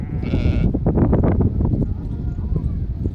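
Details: Sheep from a flock of 66 with lambs, gathered for sale. A single short, harsh bleat with stacked harmonics rings out near the start, then loud Telugu talk from people bargaining fills the rest.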